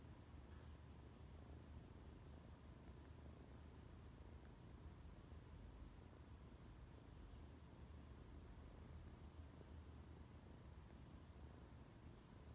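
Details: Loud cat purring: a steady, low rumbling purr held without break, with a faint hiss over it.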